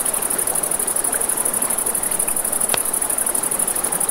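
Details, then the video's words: Crickets at night by a river, a continuous high, finely pulsed trill that runs unbroken through the clip, over a steady wash of flowing river and crackling campfire with one sharp pop near the end. "Campfire by the River at Night Ambience | 1 Hour of Crackling Fire, Crickets, Ambient Nature Sounds"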